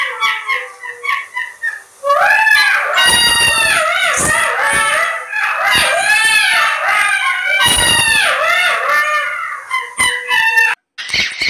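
Jackals break into a chorus of high, wavering howls and yips, overlapping voices rising and falling.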